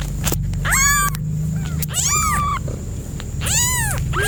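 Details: Cat giving three drawn-out meows spaced irregularly, each a bright arching wail, over a steady low-pitched hum and some background clatter.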